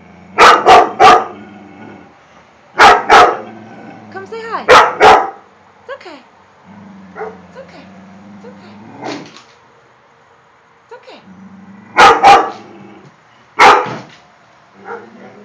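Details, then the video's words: Domestic dog barking at a painting in bursts of two or three sharp barks, separated by quieter low whines and growls, while a person coaxes it in the background. "barks at a painting"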